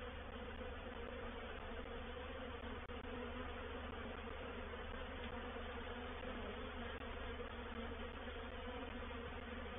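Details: Honey bee reproductive swarm moving into a bait hive at Painted Peacock Manor, 04/07/21; a quieter, sustained massed hum over a deep low rumble, unchanging for about ten seconds.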